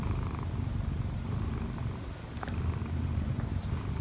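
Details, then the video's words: Odd-eyed Munchkin cat named Kkobugi, aged one year four months, climbs onto its sleeping owner to knead. Continuous deep purr that dips slightly midway, plus light fabric rustle and a brief click. "엄마 위에서 꾹꾹이 골골이 하는 꼬부기"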